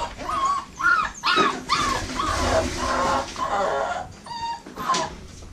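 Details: American Bully puppies from a Royal Kennels litter bred from Diesel, aka The Big Mac, and Mia. They give thin, whining whimpers that rise and fall in arcs, several in quick succession, about two each second, against a soft room background.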